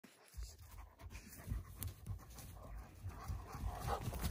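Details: Central Asian Shepherd Dog (Alabai) puppies during morning exercise on February 3, 2021, with some snow on a warm winter day; quick rhythmic breathy panting, roughly three puffs per second, low and steady throughout.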